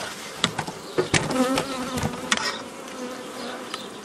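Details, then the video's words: Close, loud honey bee buzzing during old-style nucleus colony making in May 2018, with rising and falling wingbeat tones among repeated sharp knocks and handling clatter from the hive work. "Formare nuclee albine stil vechi"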